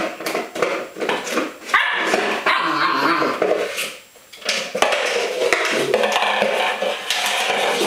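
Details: Welsh Springer Spaniel, a pet female dog, playing with an empty milk powder container used as a toy; short broadband barks and yips mixed with plastic rattling and clatter, with human voices in the background.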